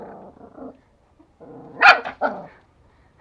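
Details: Angry toy Pomeranian kept as a pet in Kathmandu, Nepal, described as very aggressive; a short low growl-like grumble, a pause, then two sharp high barks, with a person's voice reacting.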